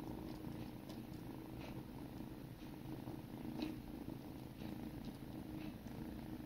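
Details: Sibling kittens grooming each other, purring steadily: a low continuous rumble fills the whole recording with only faint soft clicks above it, no other voices.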